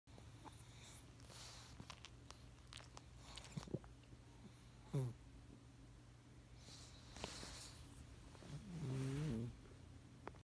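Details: Pet pug named Rocket making cute pug noises indoors: a short rising squeak near five seconds, then a wavering whiny grunt near nine seconds, with soft snuffling and rustling between.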